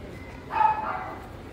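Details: A poodle at a no-euthanasia animal shelter gives a single short, tonal bark lasting about a third of a second, set against a steady low background hum and faint voices.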